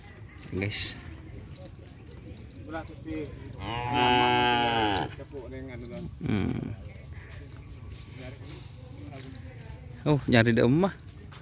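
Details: Cattle at a kerapan sapi bull race field in Asemanis: one long harmonic moo lasting about a second, among speech and crowd noise, with shorter vocal bursts before and after.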